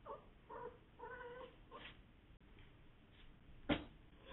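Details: Female domestic cat giving short mrrp calls, about five quick harmonic chirps in the first two seconds, then a quiet stretch broken by one sharp knock.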